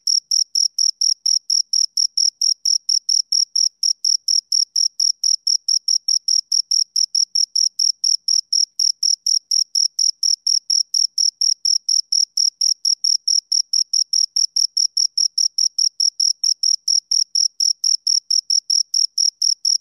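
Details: Two crickets produce a long unbroken series of sharp, high chirps, pulses packed closely and evenly for the whole stretch, on a quiet background.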